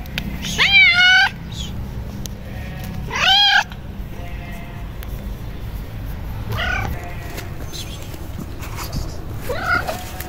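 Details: Stray ginger kittens in Morocco approaching a person, wanting food and affection: loud, rising-then-falling meows, two close together early on and two fainter ones later, over a steady low background rumble.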